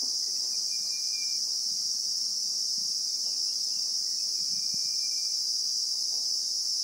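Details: Continuous piercing buzz of a Christmas beetle (Anoplognathus) in South African bushveld, recorded in real time, with faint thin whistles of a distant bird and low soft rustles beneath.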